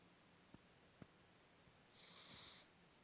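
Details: A pug snoring: a faint, short nasal wheeze of breath with thin whistling overtones, preceded by a few soft clicks in a quiet room.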